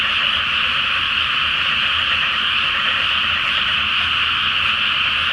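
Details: Night chorus of many frogs calling from a water-filled rice field before planting, full moon overhead; continuous, densely overlapping croaks form a steady shimmering drone without pause.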